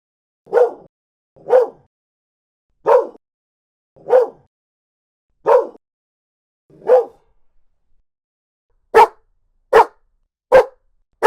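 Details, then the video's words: Dog barking from a mixed compilation of large and small breeds; six steady woofs about one per second, then a brief pause and four sharper, louder barks at a similar pace. "51 Cachorros Latindo - Som de Latido de Cachorros Variados"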